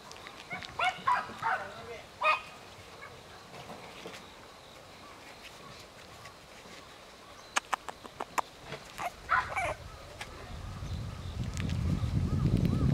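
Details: Male apricot Toy Poodle puppy, 54 days old and about 490 g, from a breeder in Nara, Japan, on September 27: short high whining squeaks in two bursts near the start and again around nine seconds, with clicks and a low rumble at the end.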